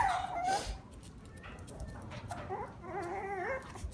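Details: Shiba Inu siblings, puppies' voices: a thin whining note falling near 0.5 s, then a wavering, yelping whimper around 2.5 to 3.5 s, soft and indoors with low background hum.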